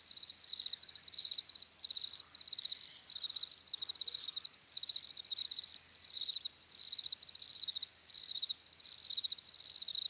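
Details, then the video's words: Crickets chirping in a steady high-pitched chorus, pulsed trills in bursts of about half a second to a second, overlapping and nearly continuous, with faint upper harmonics and no other clear sounds. "CRICKETS CHIRPING SOUNDS"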